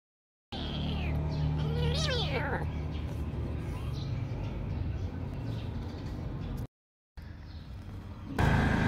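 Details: Domestic cat giving one drawn-out meow, its pitch climbing and then sliding down around two seconds in, set against a steady low droning background with people talking throughout and a short break near the end.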